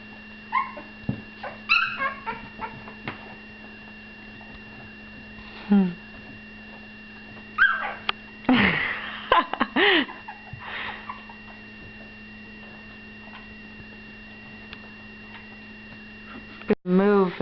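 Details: Two-week-old puppies, eyes newly opened and learning to walk, give short high rising and falling whimpers and yips in scattered bursts, with a woman speaking and a steady electrical hum indoors.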